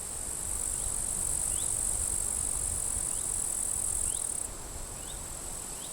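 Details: Grasshoppers in withered grass at a forest edge on a sunny, windy day at the end of July keep up a steady, high, sizzling, crackling buzz over a low rumble of strong wind.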